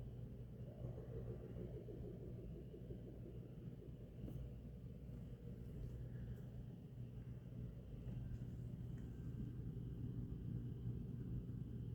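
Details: Steady low engine rumble fills the night recording, with no animal voice standing out.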